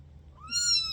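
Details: A kitten gives a single high, thin meow that rises briefly and then holds a steady, clear pitch for about half a second before fading. The background is quiet.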